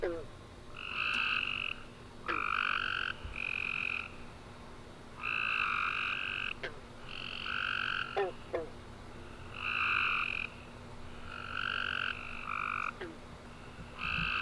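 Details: A night chorus of tree frogs following a warm, rainy summer day. Dense, nearly continuous buzzy chirping from several frogs in pulses of one to two seconds, with occasional sharp clicks and a low steady hum.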